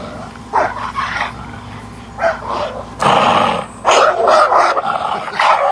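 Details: Dog barking and growling while fighting a snake. Rough, harsh barks run into a long snarling growl, then rapid repeated barks follow close together.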